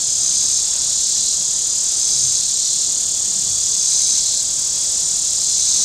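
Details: Cicadas on the shore of Table Rock Lake in southern Missouri drone in a steady, high-pitched buzz on a very warm Saturday, with boating sounds on the lake.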